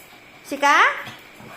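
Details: Pet Shih Tzu at home in the Philippines, scolded for chewing through a power cord, gives a single short whine that bends up and then falls back, with a person's questioning voice just before and after.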